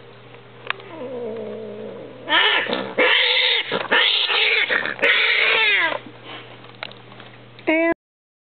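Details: Domestic cats breeding indoors, a peach and cream Persian named Simba with Josie, a half-Persian, half-Munchkin Napoleon. A long, loud caterwaul begins with a low, wobbling moan and swells into harsh, strained yowls that bend in pitch, ending with a sharp cry over a steady hum.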